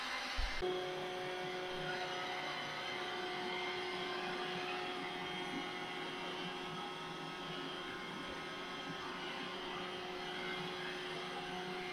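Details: Background music plays over the whirring drone of a robot vacuum indoors, with no animal sounds.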